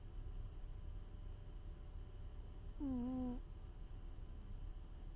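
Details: Snoring from a sleeping cat, a single short whistled snore with a dipping then level tone lasting about half a second, set against a quiet background of low rumble and hiss.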